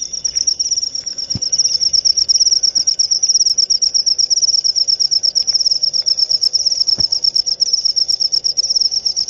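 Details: Continuous high-pitched cricket chirping, a bright tone pulsing quickly and evenly about three times a second, unbroken throughout, with occasional faint clicks and soft low knocks behind it.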